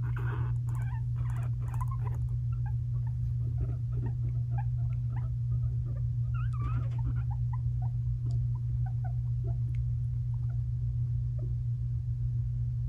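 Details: Two five-month-old male guinea pigs, brothers, squabble indoors: short, scattered chirpy squeaks and soft clicks over a steady low electrical hum.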